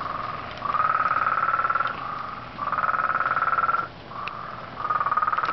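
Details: Very loud frog repeating rapid pulsed trills, each burst about one to one and a half seconds, pitch rising slightly at the start of each, separated by short gaps.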